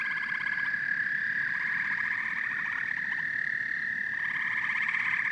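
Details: Frogs and toads calling together in a dense chorus: a steady high ringing drone underlies bursts of rapid pulsed trills that start and stop every second or two, with no other clear sounds.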